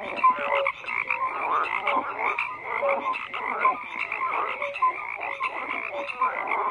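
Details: Frogs in a thick chorus, rough overlapping croaks churning steadily without a break, occasional short clear tonal blips mixed among the raspy calls, no wind or voices.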